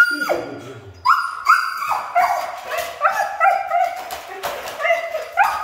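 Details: Siberian Husky, described as hard to train, giving a series of whining, yodelling howls and short talkative yelps, repeated roughly every half second after an opening low falling groan.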